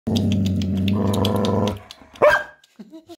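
A Labrador gives a long, deep, rumbling growl-roar, then a sharp single bark and soft grumbles.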